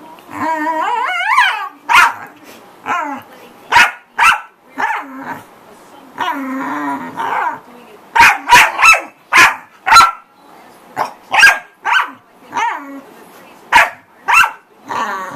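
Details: A noisy corgi gives a rising, whiny yelp, then bursts of sharp barks. Some come in quick doubles and triples and others are spaced out, with brief low growly sounds between them.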